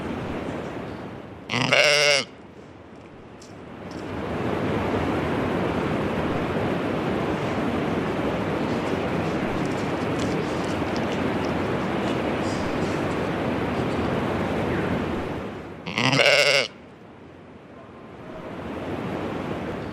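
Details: A much-loved goat bleats twice, brief nasal calls roughly fourteen seconds apart, separated by a long stretch of rushing, wind-like noise.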